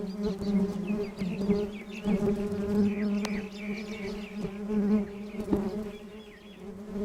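A steady, low humming buzz of many honeybees, swelling and fading as they fly close.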